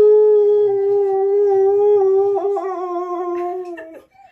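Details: Siberian Husky yodelling for dinner indoors: a long steady howl-like tone held for about two and a half seconds, then wavering and breaking into warbling pitch shifts before cutting off, with rich stacked harmonics.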